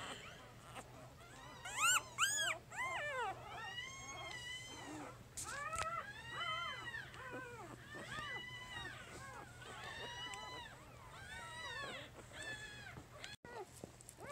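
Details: Three-day-old puppies from Jig's litter squeal and whimper in a busy overlapping chorus of high, arched, harmonic squeaks, several bursts each second, louder around the second mark, over a steady low hum.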